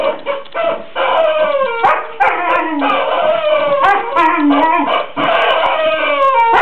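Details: A playful Border Collie with its new toy chicken, Henrietta, dressed as a Playboy bunny. Dense overlapping whines and howl-like cries rise and fall without a break, with a few sharp taps mixed in.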